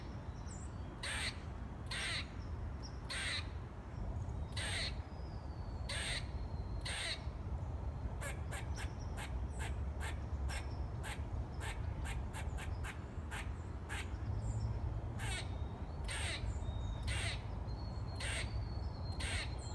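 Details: A so-called singing squirrel keeps up harsh chips about every second, then speeds into a rapid rattling run of short clicks before slowing again; faint high bird whistles and a steady low rumble continue.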